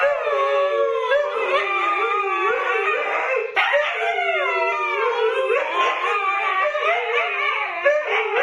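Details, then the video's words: Siberian Huskies, including puppies, howling together: a steady dense chorus of long wavering howls, voices bending up and down and overlapping without a break. "SIberian Husky Howling"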